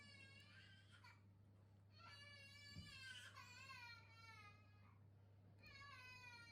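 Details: Rescue cat meowing over treats in a quiet room: three drawn-out, wavering, whiny meows, each lasting one to two seconds with short pauses between, over a low steady hum.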